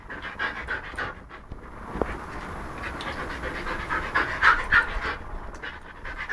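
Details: Siberian husky named Lucky panting rapidly and steadily while playing with a hedgehog, breaths coming about three times a second with a few brief squeaky accents near the end.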